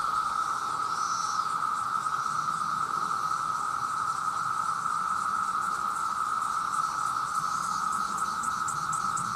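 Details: Huge chorus of male cicadas calling for mates, loud enough to harm hearing: a steady, shrill humming tone sustained without a break, with faint higher rasping flickers above it.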